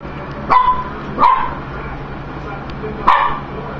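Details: Indoor dog barking at food: three short, sharp, mid-pitched barks, the first two about half a second apart and the third after a pause, over a faint steady background hum.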